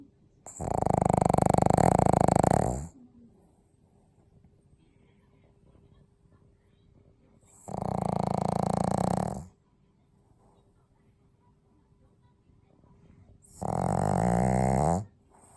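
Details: A pug snoring indoors: three long, rasping snore breaths of about two seconds each, spaced roughly six seconds apart, low and rumbling with a buzzy harmonic texture, with near silence in between.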